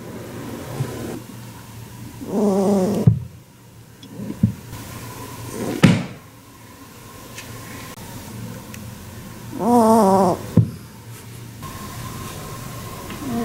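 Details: An angry domestic rabbit, said to vocalise exceptionally often, gives buzzy grunts with a wavering, nasal tone, separated by soft thumps.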